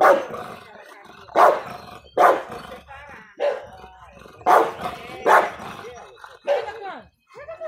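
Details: An American Bulldog of the Big Bully type gives deep, booming barks, one every second or so, with a human voice between them.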